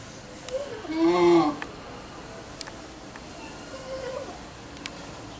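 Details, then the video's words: At Yagiyama Zoological Park on 3 September 2023, a lion-tailed macaque gives a loud, wavering, mid-pitched call with a few softer calls around it. "【八木山動物公園】シシオザルの鳴き声"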